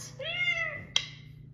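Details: Jungle cat giving a single drawn-out, harmonic meow that rises slightly then falls away over about half a second, followed by a sharp click, with a low steady hum underneath.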